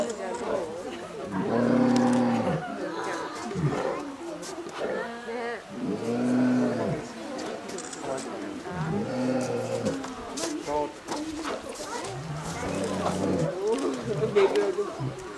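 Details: Male polar bear, 20 years old, at Maruyama Zoo in Sapporo, Hokkaido, Japan, on March 26, 2014, sharing a pool with a 19-year-old female for breeding. Loud, deep, harmonic roaring bursts, about four over fifteen seconds, with onlookers' voices.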